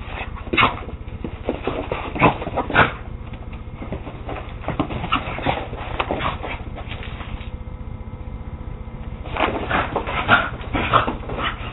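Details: West Highland White Terrier playing with a Scottish Terrier, the pair named Will and Doos, indoors on an ordinary day; rough, short yappy growls and whimpering bursts come in clusters near the start and again toward the end over a steady low hum.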